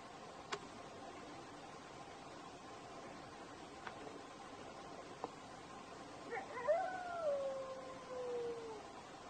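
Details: A desert wolf gives a single brief howl that swells, then slides slowly downward after several quiet seconds.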